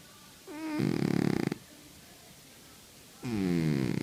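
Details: Cat sleeping and snoring: a brief whistling nasal squeak slides into a loud buzzing rattle, silence, then another harsh low snore starting.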